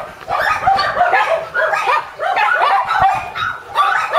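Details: High, bending yelps and whimpers from a young Shiba Inu pup, a mame-shiba-sized prospect, running in tight clusters with brief dips between them, each note sliding up and down.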